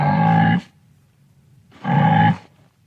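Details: Wildebeest of the African savanna giving two low, nasal, moaning grunts, each about half a second long and separated by a pause of over a second.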